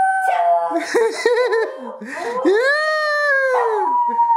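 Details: A puppy howling on demand, urged to "speak", gives a high, wavering howl that swells into a long, smooth arc before fading.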